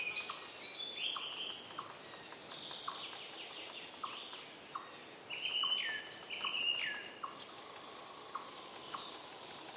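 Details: Emperor tamarin, an adult with its baby playing on a branch, gives short, high chirps and downward-sliding whistles over a steady insect buzz.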